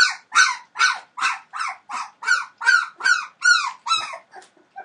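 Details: Entlebucher Mountain Dog puppies, 21 days old, from a litter born 28 December 2013 to Aisha Princess of Beauty (Shadow) and Falk vom Kornried; a steady run of about ten loud, harmonic yelping whines, each rising then falling, about three per second, ending in softer squeaks.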